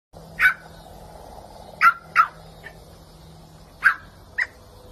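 A Rottweiler gives short, sharp barks, single and in quick pairs, with pauses between.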